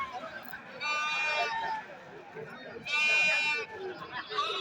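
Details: Goats brought for sale at the Pambu Kovil goat market. Two loud, strained bleats, one near the start and another about two seconds later, rise over steady chatter of people bargaining nearby.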